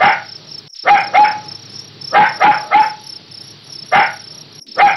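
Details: Puppy barking: short, high-pitched yapping barks in quick pairs and triples, each with a brief ringing tone, about eight in five seconds, over a steady pulsing chirp of crickets.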